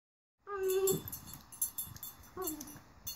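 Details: Domino, an eight-month-old rat terrier, vocalising while playing with a flower vase indoors: a sustained high whine with harmonics, then a second shorter falling whine after a pause, with soft rustling between.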